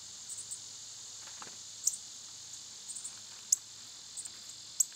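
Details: Continuous shrill whine of cicadas on a summer day, an unbroken high buzz, with a few bright clicking chirps standing out above it.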